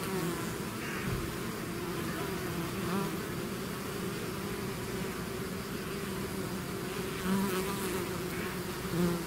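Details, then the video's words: Honeybee swarm pouring out of its hive, a dense steady drone with strong low hum bands and overlapping wingbeat tones, a few individual bees passing close and rising in pitch, no other sounds. "bees therapy swarm natural buzzing sound"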